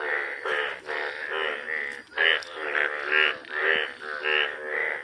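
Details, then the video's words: Yellow frogs calling in a chorus: overlapping nasal, bleating croaks with a wavering pitch, repeated about twice a second in uneven pulses. Several callers blend into a continuous, throbbing din. "Yellow 🐸, زرد مینڈک"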